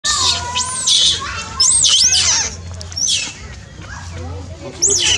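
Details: Monkey living in the Angkor zone, crying loudly: shrill, high-pitched arched screams that rise and fall, given in quick bursts of two or three with short pauses, over a low background murmur and a steady hum.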